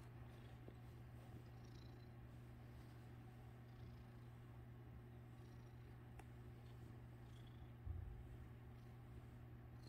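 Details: Domestic cat purring while its tail is played with: a steady, low, rumbling purr held throughout, with a brief louder bump near the end.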